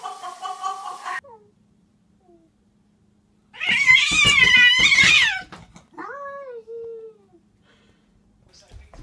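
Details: Domestic cats misbehaving, from a compilation: a brief harmonic meow, then a loud, wavering, strained yowl lasting about two seconds, followed by a falling, drawn-out meow-like cry against a quiet indoor background.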